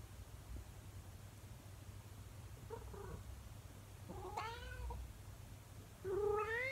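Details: Indoor calico cat, female, calling in the morning while her owner is out of the room. Quiet at first, then a soft mew, a rising-falling yowl, and a louder rising howl at the end over low room hum.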